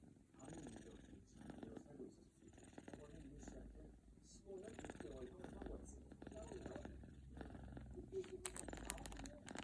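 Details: A sleeping British Shorthair kitten purrs or snores in a low, steady rumble while people talk nearby.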